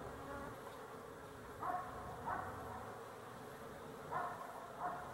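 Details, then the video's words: Swarm of honey bees humming continuously, recorded 12-11-23; several single bees fly close, each a short rising-and-falling buzz about every half second to second. "Honey Bees for Fun"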